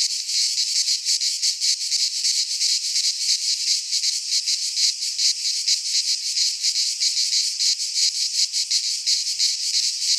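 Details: Cicadas singing in midsummer in a Greek pine forest: a dense, loud, buzzy chorus held high in pitch, pulsing rapidly and steadily throughout with no other sounds.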